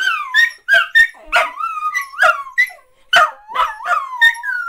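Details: Dachshunds in a 'singing' bout: short sharp yips alternate with drawn-out, sliding howls that dip and rise, several voices overlapping in quick succession.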